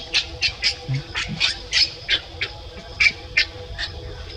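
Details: Baby monkey and an adult, kept as pets, calling: short high squeaky chirps repeated about three times a second, irregular, with faint low background hum.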